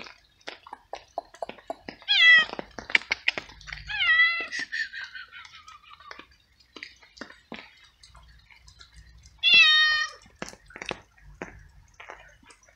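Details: Hungry stray cat living alone on the street, eating small pieces of cooked veal at night in steady rain and meowing with happiness as it eats; three clear, drawn-out meows with falling pitch, between rapid wet chewing and clicking sounds.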